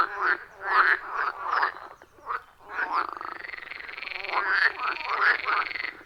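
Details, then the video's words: Wild frogs calling around a forest pond, captured on an iPhone 14 Pro with a Shure MV88+: dense overlapping croaks in rhythmic bursts, with a long buzzy trill in the second half and no music or talking. "Frog Sounds at a Forest Pond"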